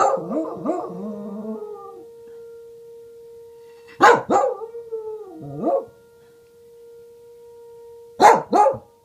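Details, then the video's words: Welsh Corgi named Reina howling in response to a tornado siren, a wavering, sliding howl at first, then short double barks over the siren's steady hum. "Welsh Corgi barking and howling at tornado siren"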